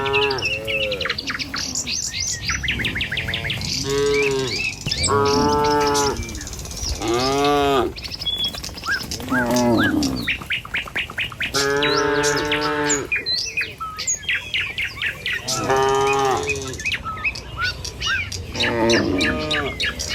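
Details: Dozens of tame cattle walking along a village road toward their pen in the morning, giving repeated drawn-out arching moos, one after another, with small birds chirping brightly in the background throughout.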